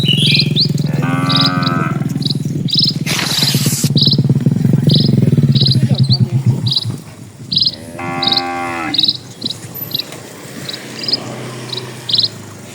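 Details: Cattle in a herd of dozens crossing a peaceful village road give two long, layered moos, one early and one late, with a brief noisy burst between them, a low background rumble, and repeated high bird chirps.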